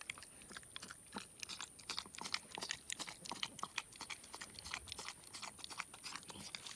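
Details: Roadside-adopted male pig, four and a half to five months old, feeding on homemade chocolate donut glaze; quick irregular crunching and lip-smacking, close to three bursts a second, with a thin steady whine overhead.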